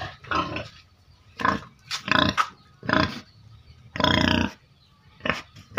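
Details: Caged pigs kept by a family to earn money, giving loud harsh squeals and grunting bursts, about six separate outbursts of broadband, raspy noise with quiet gaps between.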